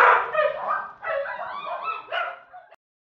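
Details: Border Collie mix dog at the Humane Society of Cozumel, a shelter dog awaiting adoption, giving three drawn-out, harmonic yelping barks, each about a second long with slightly wavering pitch, ending abruptly after the third.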